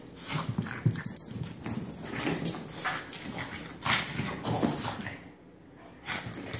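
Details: Growling and huffing from the two dogs Benny and Lilly as they go crazy together, dense raspy bursts with thumping, clip-clopping paws, dropping to a short lull before one last outburst.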